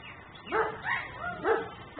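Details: Nuisance dog left outside in Mecklenburg, caught on a camera recording in ten-minute cycles; three loud, harmonic barks in two seconds, evenly spaced, the second and third sharper and higher.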